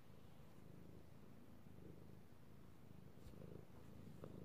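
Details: Pet male cat purring as he is stroked, recorded 16 March 2018: continuous low throbbing purr, evenly pulsed, with a couple of brief soft clicks or rustles toward the end.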